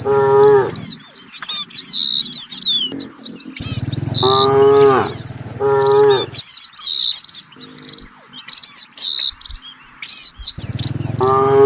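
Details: A herd of village cattle out looking for fresh grass lows four times, each moo a deep, harmonic bellow of about a second. Busy twittering birds chirp high above between and during the calls.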